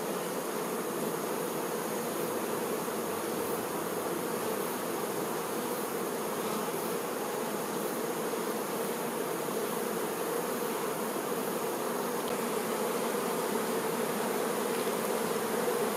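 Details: Worker honey bees looking after the queen: a constant, many-voiced droning buzz, even in loudness throughout, with a clear low tonal band.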